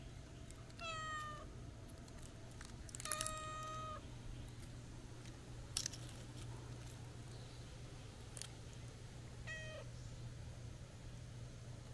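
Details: At a shrine where a black cat strolls and a friendly tuxedo cat joins, stray cats give three harmonic meows, the middle one longest and level, with scattered clicks and a low background rumble.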